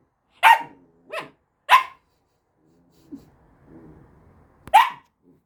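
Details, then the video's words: Samoyed puppy demanding attention: three quick high yapping barks, a pause with soft grumbling and shuffling, then one more loud sharp bark. "Требует внимания."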